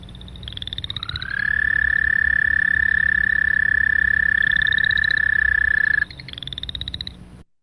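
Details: American toad trilling very long, loud and monotone: a smooth rising onset, then an even, sustained buzz at a single pitch for nearly five seconds, while higher, shorter trills of other frogs sound in the background.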